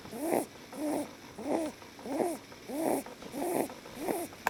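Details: Relaxed lop rabbit Leo asleep in human arms gives seven rasping, wheezy snores, each about half a second long and spaced roughly every 0.65 seconds, with a faint hiss between breaths.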